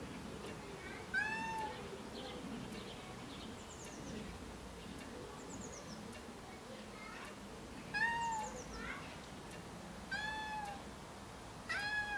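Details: Cat crying after being left alone outdoors in a garden, giving loud plaintive meows in short clusters separated by several seconds of quiet ambient rustle.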